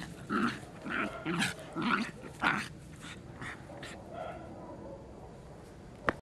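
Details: Dogs giving short, harsh growling grunts in quick succession, about five strong bursts in the first three seconds, then softer rumbling that fades, ending with a sharp click.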